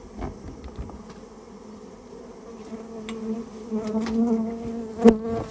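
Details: Droning of a Japanese honey bee colony built inside someone's storehouse during its removal. The hum starts soft and steadily swells louder, with scattered taps and one sharp knock near the end.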